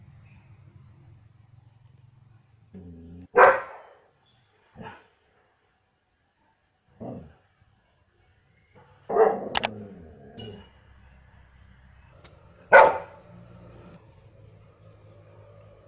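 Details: German Shepherd dog with scattered, uneven barks, some loud and others faint and clipped, spread across long quiet gaps, plus a brief sharp click and low background hum.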